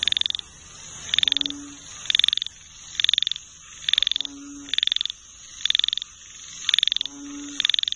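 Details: Frog chorus: bursts of rapid high clicking trills about once a second, each a short rattling pulse train, with a deeper nasal croak breaking in every three seconds or so over a steady high hiss.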